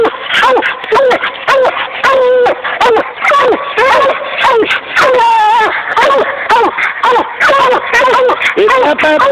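A bluetick coonhound gives a rapid run of bending, yodel-like whines and bays, one after another.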